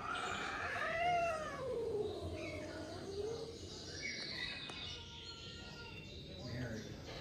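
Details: Zoey, a domestic cat at a cat cafe, upset on first arriving in the room: a drawn-out wavering yowl rising then falling over about three seconds, followed by quieter tonal cries against background room noise.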